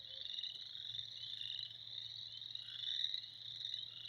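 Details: Frogs heard in spring as a constant, piercing chorus of overlapping trills that swells briefly near the end, with a soft low hum beneath.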